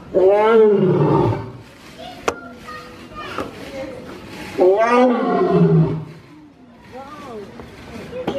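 A lion gives two loud, drawn-out roars that slide downward in pitch, a few seconds apart.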